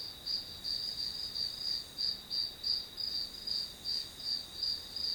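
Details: Study-session background of grass insects: continuous shrill chirps pulsing in a fairly even rhythm near three beats a second over quiet hiss.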